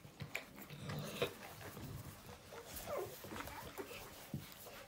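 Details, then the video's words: Newborn puppies indoors giving small squeaks, then a clear sliding whimper that drops in pitch, followed by a couple of fainter squeals among soft shuffling sounds. "Adorable newborn puppy noises"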